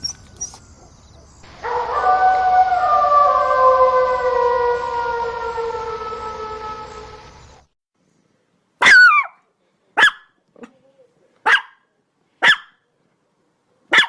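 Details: A dog gives a long, drawn-out, slightly falling tonal wail for about six seconds, then after a pause five sharp, separate barks about a second apart.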